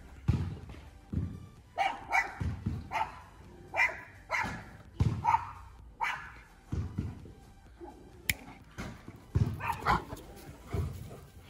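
An Alaskan Malamute barks in deep, rough bursts, defending its territory against another dog.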